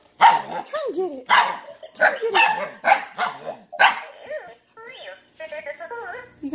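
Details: Alaskan Malamute puppies barking at a BB8 robot give a run of short, yelping barks with bending, talk-like pitch.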